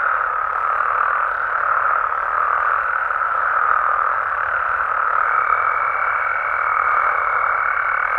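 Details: Frogs and toads of Mexico calling through the night in natural habitat; a constant dense croaking drone, joined midway by a steady thin high-pitched tone that continues to the end.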